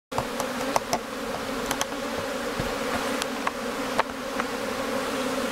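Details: Dense, steady humming drone of a honey bee colony a few days before swarming in May in Newfoundland, bees streaming in and out of the hive; low hum with a few sharp clicks and taps over it.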